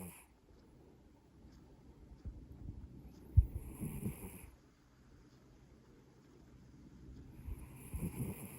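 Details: Sleeping Maine Coon cat snores quietly, a deep rumbling breath near the middle and another at the end, separated by near-silent, faintly hissing pauses.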